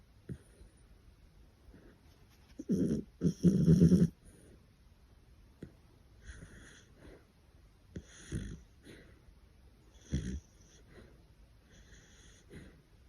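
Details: An old female English Cocker Spaniel, recorded in the middle of the night, snores in low, rough, rumbling breaths every few seconds.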